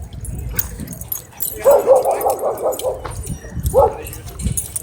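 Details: Dog at a dog park threatening to attack the person filming: a quick run of about six sharp, harmonic barks, then a pause and two more barks, with background chatter and outdoor noise.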